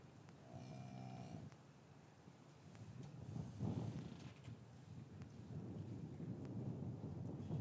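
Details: Short, moderately loud moo from cattle in a traditional English farmyard on a winter afternoon after the calves were separated from their mothers, followed by several seconds of rumbling, shuffling yard noise and low background hum.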